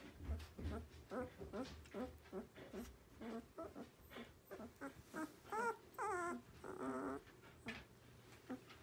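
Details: Borzoi puppy, 12 days old, whimpering and squealing in short bursts, some rising and falling whines with wavering tones, repeated irregularly over a low background hum.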